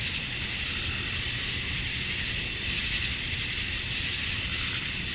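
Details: Summer dusk chorus of male cicadas in Georgia, USA, singing to draw in females: an unbroken, even shimmer of high buzzing that holds level throughout, over a soft low background hum.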